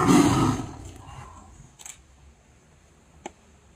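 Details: Tiger at Ranthambore National Park tiger reserve in India, with a loud low broadband roar lasting about half a second that fades out, followed by quiet with a few faint clicks.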